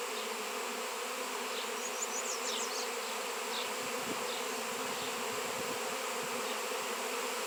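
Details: Swarm of honey bees gathering around a raw 7 lb piece of shungite: a dense, steady droning hum with layered tones, plus a few faint short high chirps near the middle.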